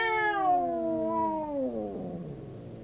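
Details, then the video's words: Fighting domestic cats, two of them howling: one long, steady wail that drifts slowly downward, then drops off into a low, fading growl. "Two cats howling cats fighting sound"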